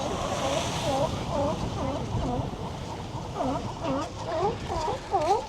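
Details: A group of California sea lions on coastal rocks at La Jolla, California, gives hoarse, harmonic growls and barks, overlapping and repeated in quick succession.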